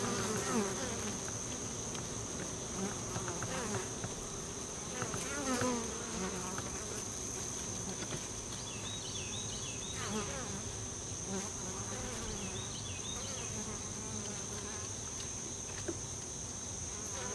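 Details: Many honey bees busy at the entrance to a honey bee tree make a steady, low, droning buzz, with a few bird chirps over it.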